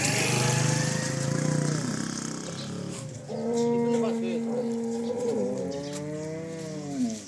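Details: Cholistani Jersey cross cow in Pakistan, filmed March 12, 2025: a drawn-out tonal moo with clear harmonics, a short lowing call then a longer rising-falling bellow, with people talking and engine noise in the background.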